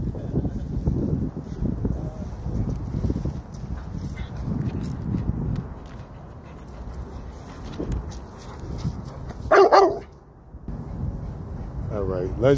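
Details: XL Pitbull trying to get a cone down from a tree as a workout, giving a sharp, loud bark burst, then a short rising whine, amid outdoor rustling.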